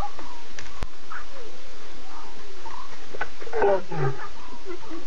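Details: Six lion cubs with three adult Nkuhuma females at 02:50 a.m. on September 8, cubs talkative while adults contact call and look around; short squealing, wavering calls cluster near the end over a steady low night hum.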